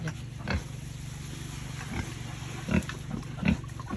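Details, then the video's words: Family-raised farm pigs feeding: scattered deep grunts and munching thumps, a few louder bursts in the second half, against a constant low background drone. "Pig Farming Eating"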